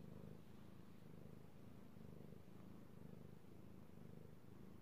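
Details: Male kitty cat purring under petting, recorded 16 March 2018; steady low-pitched rumble with regular gentle pulses, close and quiet, no other sounds.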